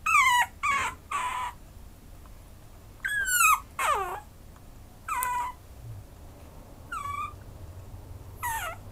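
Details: Maltese-Chihuahua mix dog giving short, high whimpers that fall in pitch, first three in fast succession, then single or paired cries every second or two over a faint low hum.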